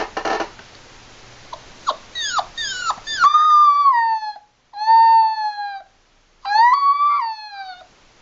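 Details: Seven-week-old Labrador Retriever puppy howling during play: a few brief squeaky yelps, then drawn-out tonal howls that rise slightly and fall, three long notes with gaps of silence between them.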